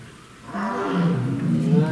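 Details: At a lion park, a tiger gives deep, drawn-out moaning roars in a roll call with neighbouring tigers calling from all sides.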